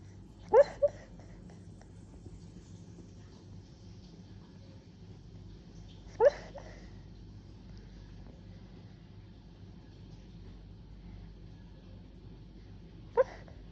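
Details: A Beagle in London, dreaming in its sleep, gives brief, soft yelps and whimpers a few seconds apart.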